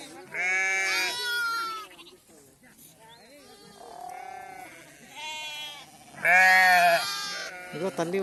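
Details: Sheep being vaccinated against PPR, a mother calling for her lamb: a long wavering bleat, softer lower calls in the middle, then a loud sharp bleat near the end, with human voices in the background.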